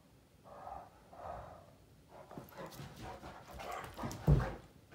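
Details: Playful mouth fighting between Great Danes Finn and Magic, Finn bugging and trying to dominate his companion; two drawn-out moaning growls early, then choppy grunts and a sharp louder snort near the end.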